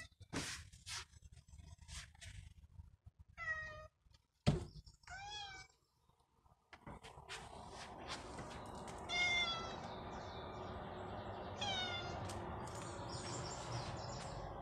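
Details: Cat giving short meows and chirpy calls, first in quiet surroundings with a sharp thump, then under a steady broadband hiss that partly masks several later meows.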